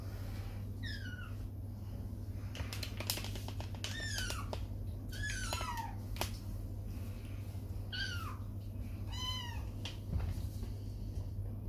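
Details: Kittens protesting as they are washed in a tub after muddy outdoor play; repeated plaintive meows, each sliding downward, arrive in quick succession with some splashing and clicks, over a low constant room hum.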